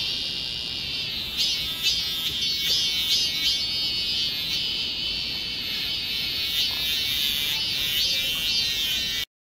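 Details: Cicadas fill a church garden with a steady, high, shimmering buzz that swells and pulses throughout, recorded Tuesday, July 28, 2020, in midsummer.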